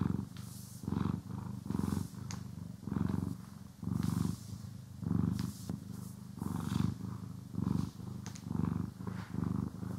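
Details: House cat being brushed and groomed, purring steadily: a throaty low rumble pulsing in short breaths, roughly once per second, overlaid with light scratchy brushing strokes and small clicks.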